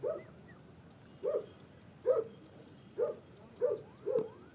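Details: German Shepherd offered for sale in Peshawar, Pakistan, barking six times in under five seconds: short, mid-pitched woofs spaced about a second apart against a faint steady hum.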